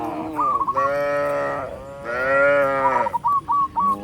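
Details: Tens of tame cattle walking along a rice field road moo in long, drawn-out calls, with short chirping bird notes between them.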